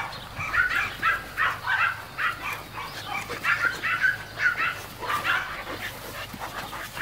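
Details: Playing mastiff puppies yap almost nonstop, a busy chatter of short high-pitched yips and little barks tumbling over one another for several seconds, with a faint steady hum underneath.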